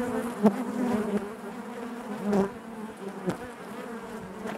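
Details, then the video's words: Many honey bees humming inside a hive, a warm layered drone with a sudden sharp buzz near half a second and another swell around two seconds, then settling back to a steady hum. "bees therapy hive natural buzzing sound"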